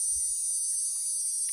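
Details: A cicada, found on a comal, gives a steady, high-pitched buzz that holds without a break; people once said its sound was calling the rain.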